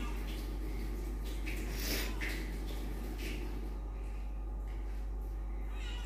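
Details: A fat domestic cat indoors gives a low, steady rumbling purr that holds throughout, with a brief brighter rustle near the two-second mark and faint room noise.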